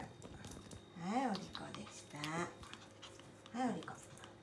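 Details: Dog indoors in a small room lets out three short, tonal yelping barks, each rising then falling in pitch, spaced about a second apart, with a person speaking quietly in the background.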